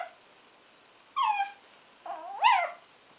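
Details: Shih Tzu puppy, two months old, whining twice: a short falling whimper, then a longer cry that rises and falls, in a quiet room.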